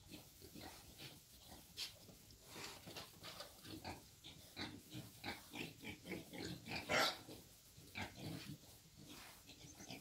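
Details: Wild boar taken for mating, giving a run of short broadband grunts and snorts, repeated every half second or so, with one louder squeal near the seventh second and low background rumble.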